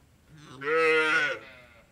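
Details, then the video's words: A single loud, full moo from a cow on an Indian dairy farm, rising into a steady, rich harmonic tone for about a second before fading, against low farm background hum. "Cow Moor"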